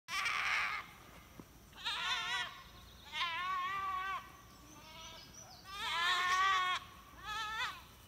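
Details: Dairy goats being led by a goatherd and a livestock guardian dog through a monastery apiary toward their home pasture in rural Appalachia; several loud, wavering bleats in separate bursts, some nasal and quavering, with short pauses between.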